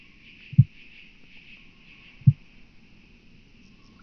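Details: Southern Oak Bush-cricket at Starnberg, Germany, 7 August 2023. Two soft low knocks roughly 1.7 seconds apart, with a third starting at the end, over a low steady hum.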